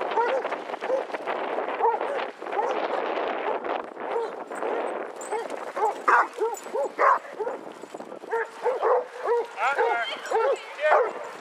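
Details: Among 22 Basset Hounds out walking at Hazlehead Park, Aberdeen, on 2 February 2014. Crowd chatter dominates the opening seconds, then a run of sharp, arched barks builds and repeats quickly toward the end.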